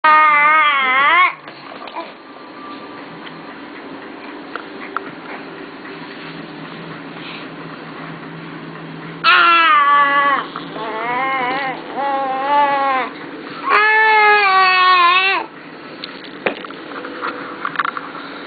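A wolf gives high, wavering whines in short bursts separated by quiet pauses.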